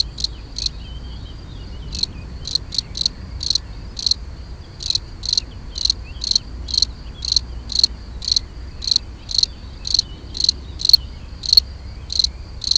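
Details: European field cricket (Gryllus campestris) giving its mating song: short, shrill, pulsed chirps in a narrow high band, repeated in uneven bursts about two to three per second over a quiet low rumble.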